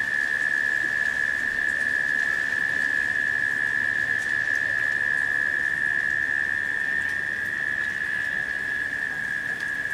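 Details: In late summer during a rain shower, a cicada holds a continuous, even, unbroken drone without change in pitch, over the steady hiss of falling rain.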